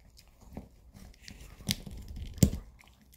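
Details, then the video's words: Two small pet dogs, a Maltese named Bomi and a long-haired Chihuahua named Coco, eat weekend dog chews indoors. Sharp crunching and biting bursts stand out against a quiet room, with the loudest snaps near the end. "주말은 역시 개껌먹방"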